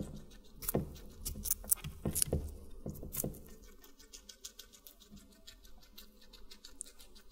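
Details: Watermelon being eaten by a guinea pig: several loud, sharp crunching bites come early, followed by quieter, rapid, even-paced nibbling clicks to the end.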